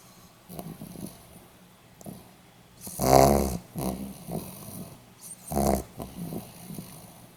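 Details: Pomeranian dog snoring, recorded 8 November 2015: irregular rasping breaths with two louder grating snores about two and a half seconds apart, softer snuffling sounds between them in a quiet room.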